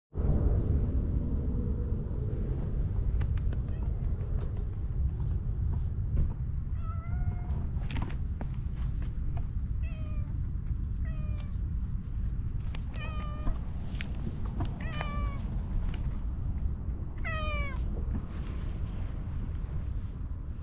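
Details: Grumpy-faced cat emerging from grassy undergrowth to be petted, giving a series of short harmonic meows, several with quick rising or falling bends, spaced a second or two apart over a steady low rumble of background noise.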